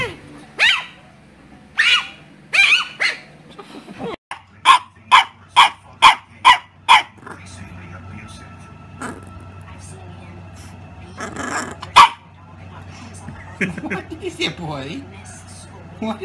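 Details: Puppy barking in a run of sharp, evenly spaced yaps, about six in quick succession, with earlier scattered barks, a man's voice speaking to the dog, and a low steady hum underneath.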